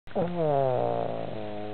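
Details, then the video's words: Sleeping Boston Terrier snoring: a single low, droning, buzzy snore lasting under two seconds, steady and slightly wavering in pitch after a brief rising start. "Boston terrier snoring"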